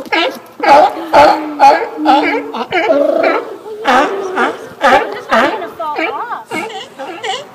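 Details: Sea lions at Fanny Bay, Vancouver Island, on Victoria Day weekend in May give hoarse, harmonic barks and moans in quick, uneven bursts while calling for food.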